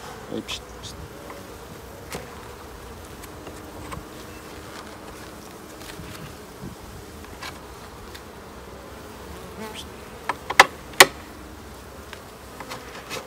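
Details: Buzzing of a honey bee colony as hives are opened for a late-summer check on 22/09, a continuous droning hum with a faint pitch band, broken by occasional loud knocks and clatters, strongest near the end.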